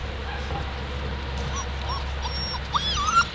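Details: Seven-week-old Alaskan Malamute puppies from a Daphne and Deuce litter: a few faint, thin whimpers early on, then short, higher squeaky whines near the end over a steady low hum.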